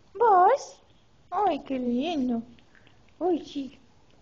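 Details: A Siberian Husky gives short, wavering, yodel-like howls in three separate bursts in response to hearing "I love you".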